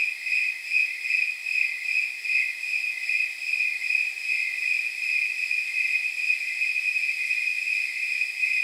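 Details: Snowy tree crickets at night, the temperature crickets, their chirping estimated to mean about 79 degrees; high, clear pulsed chirps repeated evenly, roughly two and a half per second, in a steady rhythmic chorus.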